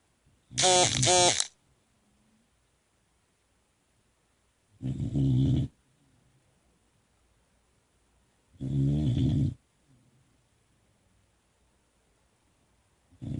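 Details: Sleepy Boxer puppy snoring indoors: loud, broad, rasping snores of about a second each, repeated roughly every four seconds, with quiet pauses between breaths.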